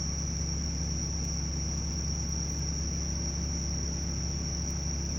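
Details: Bell cricket in midsummer: a steady, high, ringing chirp continues without pause over a loud, constant low rumble and crackle from a bonfire.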